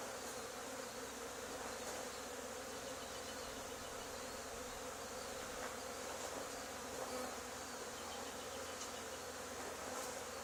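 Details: Swarming honey bees settled on the wall of an old barn, removed two days after a neighbouring hive cutout; a thick, steady buzzing roar with a few faint knocks underneath.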